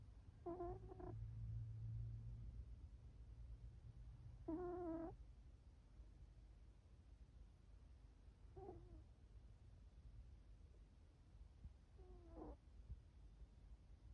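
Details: Snoring cat called Chifuyu: four brief, harmonic, whistling squeaks at irregular gaps of about four seconds, the later ones fainter and bending in pitch, over a low rumbling background.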